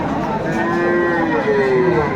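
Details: At Aftabganj cattle market, Dinajpur, on 10 September 2024, a Friesian or cross-breed bull calf lets out a short, thin, slightly higher tonal moo with a rising end, under constant crowd noise.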